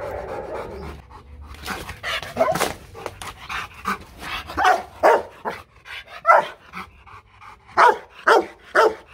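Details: Loki, a Vietnamese champion Rottweiler from the Gervi Rottweiler kennel in Hanoi, gives a level-one playful warning bark rather than an attack threat: after a few muffled sounds, loud deep barks come in a quick series about twice a second.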